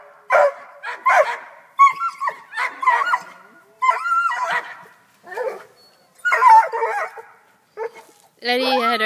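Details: Black and Tan Coonhound up a tree after a cat, letting out a broken run of short barks and higher yelping cries, mixed with a person's voice and quiet gaps between bursts.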